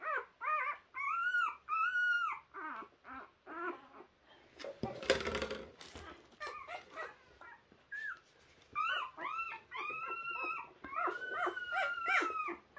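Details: Puppy trying to find its way, giving a run of high, wavering whines that rise and fall, in short bursts separated by pauses, with a brief loud rustling noise midway.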